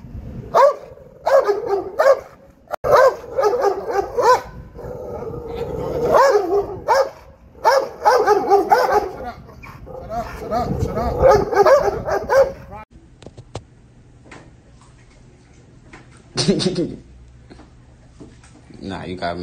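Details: Barking dog at an urban dog show, clustered barks mixed with voices and general commotion through the first two-thirds, then quieter with a low hum and a final isolated bark.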